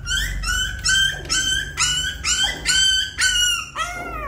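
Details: Puppy attempting to climb a small step into the nest, crying in sharp, high-pitched yelps about twice a second, each slightly falling, ending in a longer drawn-out whine.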